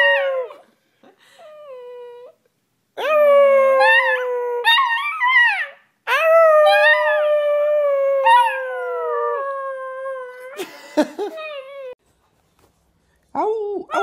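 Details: Howling puppy: a short yip, then two long sagging howls that begin high and break before gliding slowly down, followed by a quieter wavering tail and a few brief squeaky yips near the end.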